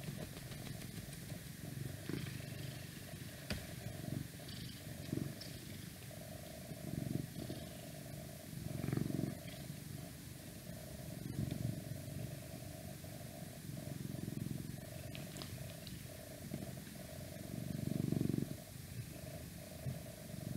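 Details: Domestic cat purring steadily indoors, a low rumbling throb rising and falling in long breaths, each swell lasting a second or two, over a constant faint electrical hum and light background noise.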